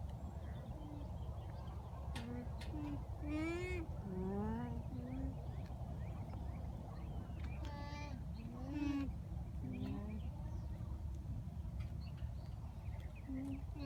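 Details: Alpacas, mothers with babies, at a farm in Townville, South Carolina, give short nasal, wavering calls that rise and fall, with people talking and a low rumble behind.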